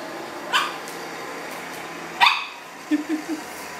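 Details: Pug named Leo barking from a studio in Portland, Maine, as a city worker friend goes by; two sharp barks spaced under two seconds apart, followed by three soft low grunting yips, with background hum.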